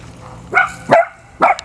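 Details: Puppy giving three short, high yapping barks, each a quick harmonic burst, the first two close together and the third after a half-second pause.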